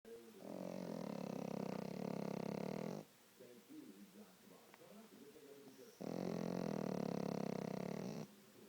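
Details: Pet dog asleep with one eye open, snoring: two long, loud, rasping breaths of about two and a half seconds each, separated by a quieter gap with soft breathy murmurs.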